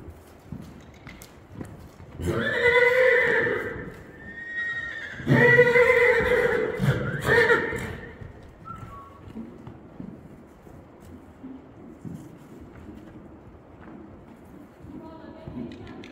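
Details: Akhal-Teke stallion, born 2013, isabella coloured, 160 cm at the withers, calm-natured and ridden under saddle; two loud whinnies with strong harmonics around two and five seconds, each shaky and falling, then quieter rustling and faint background noise.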